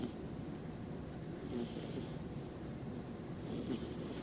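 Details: A sleeping cat snoring before it wakes up: two soft, rasping breaths roughly two seconds apart over a steady low hum.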